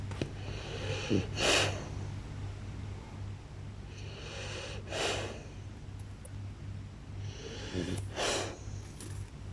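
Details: Loud snoring from a blue French Bulldog, three rasping, snorting breaths spaced roughly three seconds apart over a constant low background hum.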